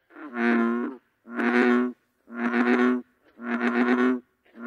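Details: Bullfrog serenade: four long, deep, harmonic croaks of nearly a second each, steady in pitch and evenly spaced about one per second, with a fifth starting at the end; no other sounds.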